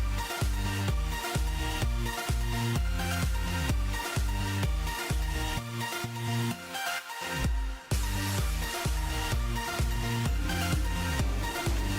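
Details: Loud electronic dance music with a steady, fast bass beat and layered synth tones, briefly thinning out near the middle, with no animal sounds.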